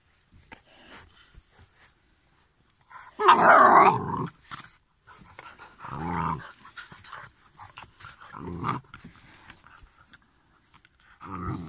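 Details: Grafinya, a two-month-old black female Cane Corso puppy at a Belarus kennel, playing among three female pups: one loud harsh growly burst, then softer grunting and huffing sounds, with a person talking and laughing nearby.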